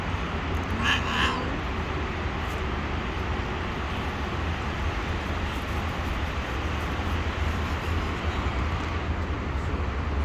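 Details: Sweet orange stray cat living on the street, giving one short, high meow near the start, then quiet, over steady traffic rumble and background noise.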